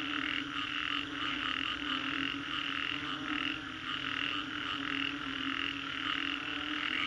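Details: After a storm in Singapore's Green Corridor, frogs call together, pulsed croaks repeating roughly one and a half times per second, irregular and overlapping, over a continuous hum.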